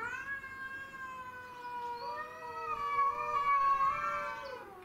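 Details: Territorial standoff among domestic shorthair cats, Tom, Mimi and a grey and white stray: a steady, drawn-out harmonic yowl that holds level, then swells louder and climbs slightly in its second half, unbroken for the whole stretch.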